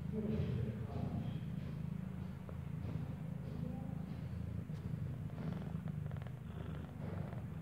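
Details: Domestic cat, a mother that gave birth inside a building, nursing a newborn kitten whose eyes have not yet opened; a steady low rumbling purr runs throughout, with faint rustling and soft background noise.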